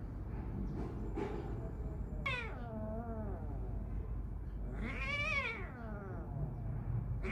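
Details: A kitten fighting with another cat gives two drawn-out, wavering meows, the second louder and higher, over a low background rumble; only the kitten makes noise during the fight.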